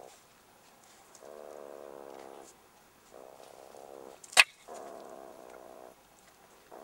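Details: Young jackals in their burrow, under attack and harassment from a meerkat: low, pulsing growls in steady bursts of one to one and a half seconds, separated by short silences, with one sharp loud knock midway.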